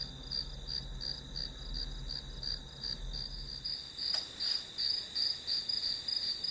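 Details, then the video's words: Grass insects calling as white noise for an hour-long study session: high, pulsed chirps repeated about three times a second over a steady shrill tone, with a faint low hum and a brief click near the fourth second. "풀벌레 소리"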